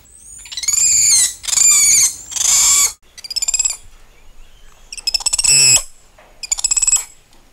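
A spider monkey gives about six high, squealing whinny-like calls. Each is a shrill, harmonic burst under a second long, with short gaps between them.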